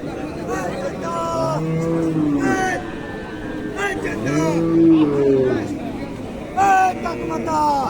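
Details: Cows lowing at the Dinajpur cattle market during a Qurbani cattle search: a run of arched, harmonic moos, several overlapping and each about a second long, with crowd chatter and faint background noise.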